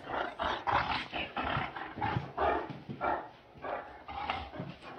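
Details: Great Dane producing gruff, growly bursts that merge into rough barks, about two each second, deep and raspy with strong mid-range energy and brief gaps between.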